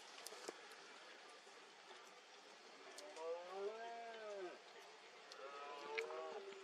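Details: Red deer stag roaring in mist during the 2022 rut (berrea) in Cantabria. Rising-then-falling bellows start midway, with a second shorter roar near the end, over a steady background hiss.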